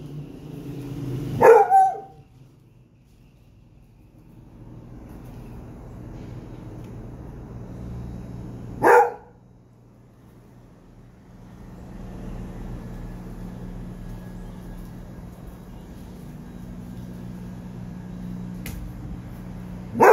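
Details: Three loud, isolated barks from a Basset Hound, spaced several seconds apart, against a steady rumbling background noise like a passing vehicle.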